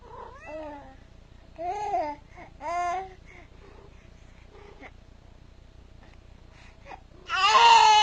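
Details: A pet cat with a little baby gives three short arched meows in the first three seconds, each rising then falling, followed by quiet and a loud broadband rustling burst at the end.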